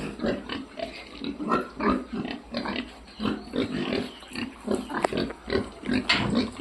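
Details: Many piglets grunting together on a farm, a busy run of short, rough nasal grunts following each other quickly, mixed with a few sharper squeals and shuffling sounds.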